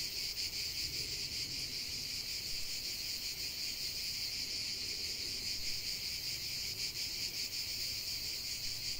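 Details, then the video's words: Cicadas droning together in nature: a loud, constant high buzz with rapid pulsation and slight swells in intensity, little else audible. "45 min de chant des cigales"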